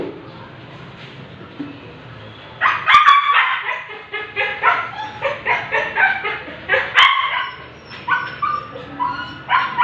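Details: Siberian Husky at a stud for artificial insemination, a quiet start then a burst of loud harmonic barks and yips repeated several times a second from about three seconds on.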